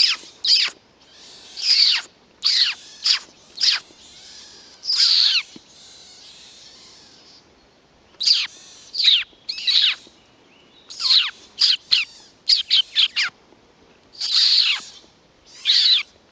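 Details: Young pine martens roaming Kälberberg, 8 May 2012: loud, piercing squeaks and longer hissy bursts in clustered runs, separated by short pauses.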